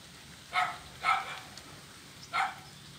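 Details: Blind kitten playing on an ulin-wood bridge on Jalan Kolonel Sugiono, Kuala Kapuas, Central Kalimantan, Indonesia, Monday 25 November 2019; three short, bright, harmonic mews, the first two close together, the third after a gap, over a low steady hum.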